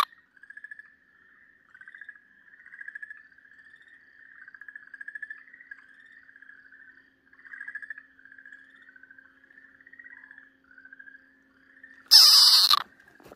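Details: Okinawa green tree frog in a snake's jaws, a Ryukyu keelback, giving a steady run of raspy pulsed cries about once a second, followed by a sudden loud rustle.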